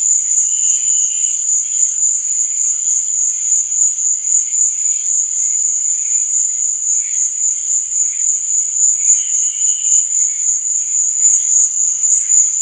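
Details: Cricket chirping at night: a constant high-pitched ringing drone with rhythmic pulsing, and short, slightly lower chirping bursts near the start and again around ten seconds.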